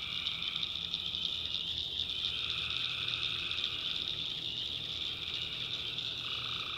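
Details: Tree frogs at night in a North Carolina swamp, the backwoods alive with a thick, continuous high trill; a lower croaking layer pauses briefly near the middle, then resumes toward the end.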